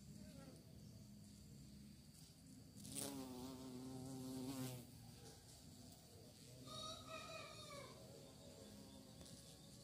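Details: Bees reportedly hunting for prey; a constant low hum underlies two close fly-bys, the first a loud, wavering buzz lasting over a second, the second shorter and higher, each fading off into the swarm drone.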